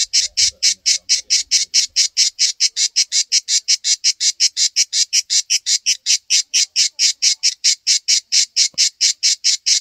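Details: A cicada on a backyard tree sings in rapid, evenly spaced buzzy pulses, about four each second, high and hissing.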